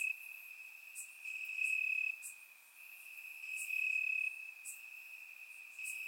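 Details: Night chorus of crickets in Bulgarian summer grass, warm evening: continuous high-pitched trilling that swells into louder stretches of about a second, with scattered sharp ticks from further callers above.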